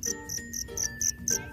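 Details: Black field cricket singing at night just before crawling into its burrow, singing to call females: short, piercing high chirps in quick regular bursts, slightly softer, over a low murmur of background noise.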